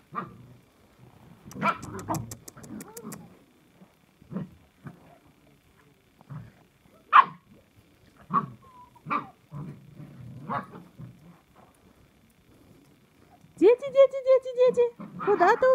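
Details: Samoyeds recorded on 9 January 2021: scattered short barks and yelps, some with growly low tones, separated by pauses, ending in a run of loud, harmonic, whining howl-like barks.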